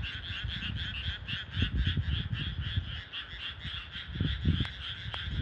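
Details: Night chorus of frogs in rural rice paddies: continuous fast rattling croaks layered in a steady band, with low rumbling bumps, a couple of sharp clicks near the end.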